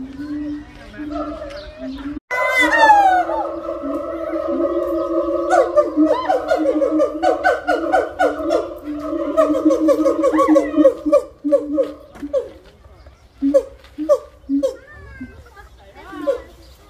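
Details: A gibbon sings a rapid series of pure, swooping hoots that rise and fall in loud, ringing notes, a call that establishes territory and reinforces family ties.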